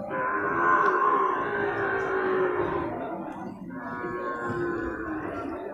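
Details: Bull water buffalo calves for sale at a Purwakarta animal market in Indonesia: two long, low, harmonic moos, the first about three seconds, the second shorter after a brief gap, with market chatter behind.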